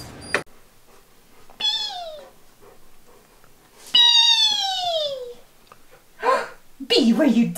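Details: A pet Old English Sheepdog named Wallace voices what is on his mind in two long, drawn-out moaning whines. Each one slides steadily downward in pitch, with quiet pauses between them. A short human voice is heard at the end.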